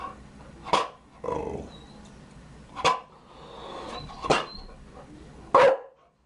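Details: Chow Chow dog giving four sharp, short barks spaced about one to one and a half seconds apart, with softer huffing sounds between them and a quiet indoor background.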